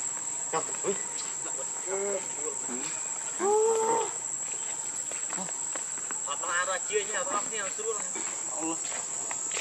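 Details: Baby monkey Leo (Rainbow), very angry and hungry, begs its mother for milk with short arched whimpers, then a loud drawn-out wail midway and a run of shorter rising cries, while insects drone steadily in the background.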